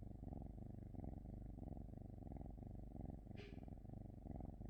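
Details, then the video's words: Close domestic cat purring in a steady low rumble, swelling and fading with each breath about twice a second, with one brief scratchy rustle near the end. "cat 🐈‍⬛️ purring"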